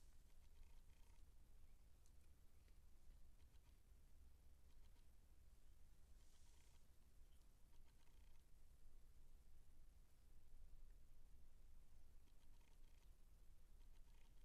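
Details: Nineteen-day-old Siamese kittens purring: a soft, steady low rumble with a fine pulsing texture that continues for the whole stretch, with faint rustles and light handling sounds above it in a quiet indoor setting.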